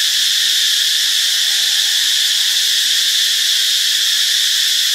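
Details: Cicadas singing in Ubon Ratchathani, Thailand, on Friday, March 26, a loud continuous metallic buzz with a piercing ringing band, uniform from start to finish.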